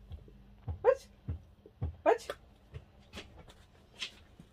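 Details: Two short, high puppy yips about a second apart come from a pet dog with its owner in a small room. Faint rustling and room noise fill the gaps.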